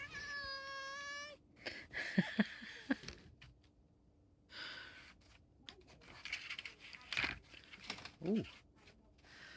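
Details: Vegan cat in Pulford, Chester, England, excited by catnip plant powder indoors in autumn, gives one steady, drawn-out meow that lasts over a second, followed by a woman's speech and soft rustling of a toy.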